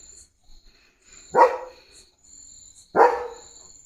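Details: Pet German Shepherd Leo, limping after hurting his leg while running around the yard, lets out two loud, clear barks about one and a half seconds apart over a faint steady high whine.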